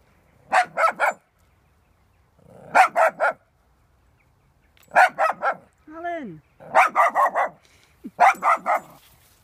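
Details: A dog meeting a cow for the first time barks in short bursts of two to four sharp barks separated by pauses, with one rising whine-like yelp near the middle; the surroundings are otherwise quiet.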